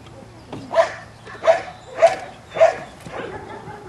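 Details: Belgian Malinois puppies of the S Litter, 7.5 weeks old, playing on a puppy rubble pile with new footing and obstacles; four short, high, sharp yips spaced roughly two-thirds of a second apart over a quiet background.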